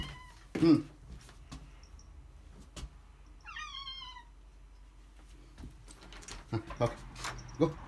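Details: Maine Coon or Ragdoll house cat eager to go out and play makes one short, downward-sliding meow amid thumps, clicks and brief human speech as a door is opened.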